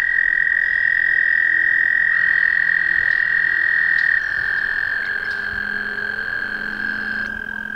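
An American toad gives a long, steady, high musical trill that holds one pitch for seconds.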